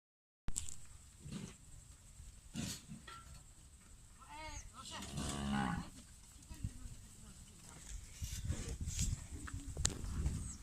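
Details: A cow on a livestock farm gives a deep, drawn-out moo with a rough, harmonic tone.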